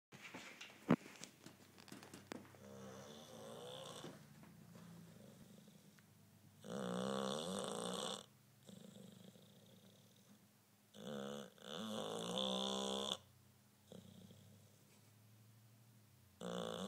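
An English bulldog snores loudly in rough, rattling bursts with quieter wheezy breaths between.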